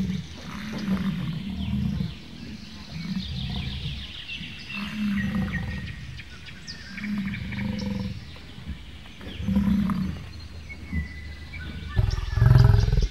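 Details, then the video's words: Bison making a steady series of low, throbbing grunts and rumbles that ends in one louder, deeper roar, with birdsong faintly behind. "Bison sounds & What sounds does a Bison make?"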